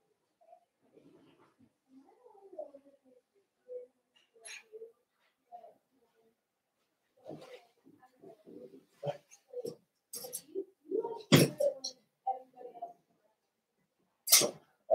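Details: Blenheim Cavalier King Charles Spaniel puppies from a litter of five, born on New Year's, in an indoor puppy pen: soft sliding whines and low grunting murmurs that build into louder squeals and sharp yelps near the end, in a quiet room.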